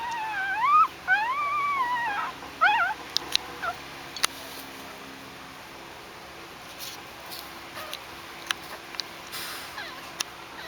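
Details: Newborn Shih Tzu Pomeranian crossbreed puppies, hungry and pushing their way in to nurse, give high squealing whimpers that rise and fall in quick bursts over the first three seconds, followed by near quiet with faint scattered taps.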